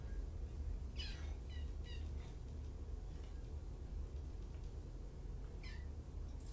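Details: Kittens from two litters, five in all, surrendered in Tacoma and cared for at Purrfect Pals, heard on an afternoon: a quick run of short, thin, high-pitched mews near the start, then one more later, over steady background hiss.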